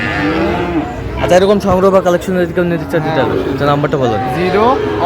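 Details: Sahiwal bull calves at a livestock market in Faridpur, Bangladesh, on 23 June 2025: a low, drawn-out moo with a steady harmonic tone, then shorter lowing, heard over busy market chatter and men talking prices.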